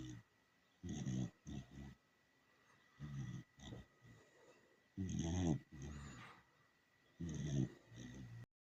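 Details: Dachshund asleep and snoring, giving low, throaty, buzzing rasps in uneven bursts about every one to two seconds, some snorts longer and louder than others, with near-silence between breaths.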